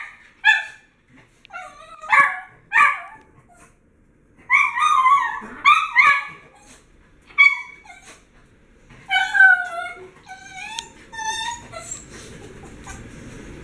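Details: Pet dogs eager for their daily kibble before mealtime: short high yips and whimpering barks in irregular bursts, some rising and falling, with quiet gaps between; a low rumbling hum near the end.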